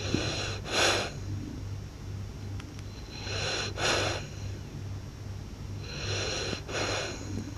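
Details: French Bulldog of the blue colour, called a French Blue Dog, snoring loudly: three broad, hissing breaths about every three seconds, each a short burst of rough noise over a steady low hum.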